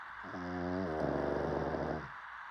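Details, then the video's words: A single snore from a sleeping dog, a low vibrating rattle whose tone shifts and roughens halfway through, lasting under two seconds. "DOG Snoring 😴"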